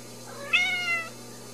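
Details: Ragdoll kitten raised in a home cattery in central Kansas, no cages. A single harmonic meow, about half a second long, rising then gently falling, over a steady low indoor hum.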